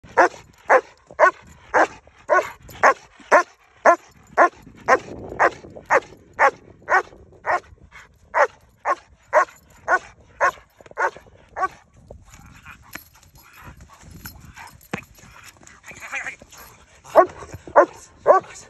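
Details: Maserati, an estate guardian dog, barks in a steady run of sharp, loud barks about twice a second for roughly twelve seconds, then gives fewer, scattered barks amid quieter background noise.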